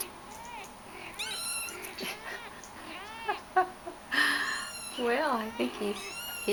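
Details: Shaded golden Persian kittens of the I litter, with their mother Sahara, playing indoors; Idaho is called a talker. Series of high, arching kitten meows, some rising then falling, come in quick bursts over a woman's voice.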